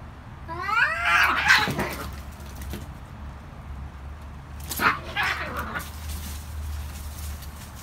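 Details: Cats fighting and screaming loudly: a wavering, rising and falling yowl near the start, a quieter stretch, then a second harsh wailing outburst, over a steady low background hum.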